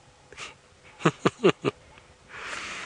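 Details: Impala rams at sunset in Djuma Game Reserve, South Africa, May 23, sparring feistily; one gives four harsh, breathy grunts in quick succession, about a fifth of a second apart, then a soft rustle follows.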